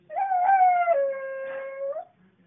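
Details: A 7-year-old female cocker spaniel in Thomasville, North Carolina, "sings" on her owner's coaxing: one smooth, drawn-out tuneful howl that slides down in pitch, then holds level for about two seconds, with the owner's coaxing voice just before and after.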